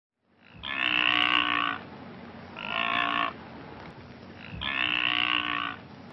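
Blue wildebeest giving three loud, nasal, buzzy honks, each about a second long, spaced a second or two apart.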